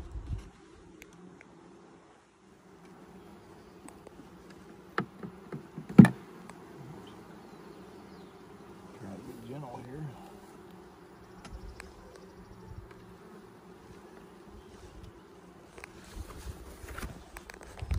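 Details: Low, continuous hum of a honey bee hive opened for inspection six days after nucs went in, 2020, with bees drawing out comb; a sharp knock near the start and a man briefly speaking partway through.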